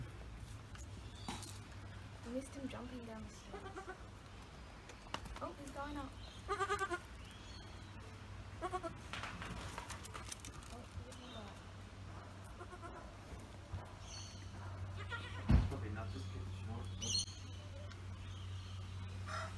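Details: Goat kids only a few days old, one named Charlie, climbing stairs; several short quavering bleats with wavering pitch rise and fall through the clip, mixed with frequent human chatter and a steady low hum in the background.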